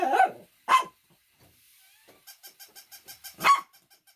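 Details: Dog barking in a short sharp burst: two quick barks near the start, then a regular run of soft ringing pulses, and one more loud bark near the end.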